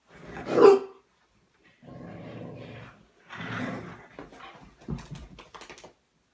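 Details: Pet dog indoors in a small room, angry while playing: one sharp loud bark, then two drawn-out low rumbling growls, ending in a run of short choppy growling bursts.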